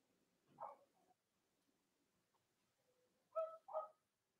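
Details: Young Cavalier King Charles Spaniels, puppies of the mothers Robin and Myra, streamed live on a chilly late-October morning: one thin whimper, a quiet pause, then two quick sharp squeals close together.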